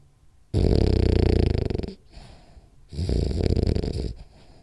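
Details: Sleeping French Bulldog Rolly gives two long, rattling snores, the first about one and a half seconds, the second slightly softer and trembling, with a quiet breath between them.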